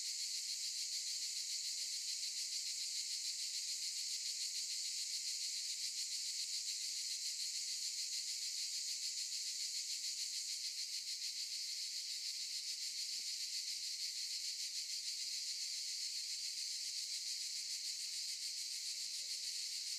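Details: Cicadas in olive trees keep up an unbroken, high, hissing buzz that never pauses.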